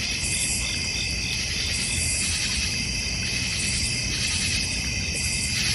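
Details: A thick, unbroken high drone of crickets in a North Georgia Mountains backyard, with a steady low background hum.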